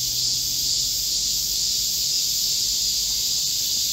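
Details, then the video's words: Many cicadas singing together in a Korean midsummer forest on 25 July 2024, during a heatwave: an even, piercing high-pitched hiss that holds steady without pauses, with a soft low hum in the background. "Korean cicadas, a chorus in a midsummer green forest | 한국 매미들의 한여름 초록 숲속의 합창"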